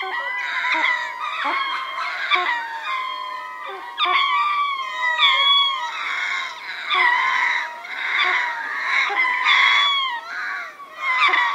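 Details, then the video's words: Troop of ring-tailed lemurs calling together at Berenty in southern Madagascar, recorded medium close: dense overlapping wails and yelping cries, rising and falling, some sharp clicks and grunts mixed in, nearly continuous throughout. "Ring Tailed Lemur / MCU Chorus From A Troop"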